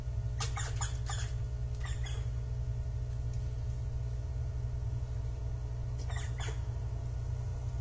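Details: Japanese giant flying squirrel on 25 December 2023, giving short harsh rasping bursts: a tight cluster of several in the first two seconds, then a pair near the end, over a steady low mechanical rumble.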